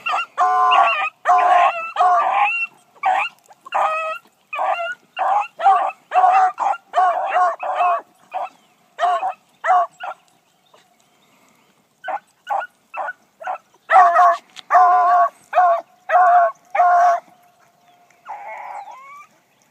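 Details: New Blackcreek female hound (gyp) running for the first time one morning, giving rapid chopped barks in quick bursts, about eighty a minute, with a short quiet gap midway before the barking picks up again.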